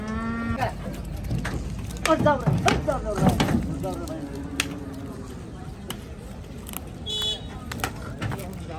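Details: Big cows unloaded at Gabtoli cattle market, Bangladesh: a short steady moo opens, then men's voices overlap before a longer low, level moo, with scattered knocks and shouts from the busy market.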